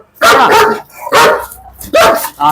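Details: German Shepherd named Bruno, from Perumbavoor, giving three loud, harsh barks roughly every 0.8 seconds, each a broad burst, with a man talking nearby between them.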